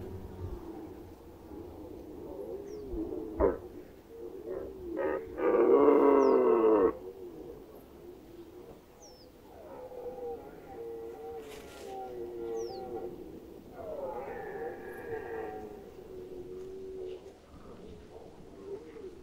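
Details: Rutting red deer in the Lower Oder Valley National Park, 2019: one loud, coarse roar near the sixth second, then longer moaning bellows from other stags, with brief clicks and a quiet background.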